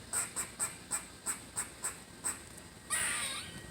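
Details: Squirrel called Squirrely, said to be having fun, makes rapid evenly spaced high chips, about three per second. A harsh, noisy, moaning rasp ends the sequence.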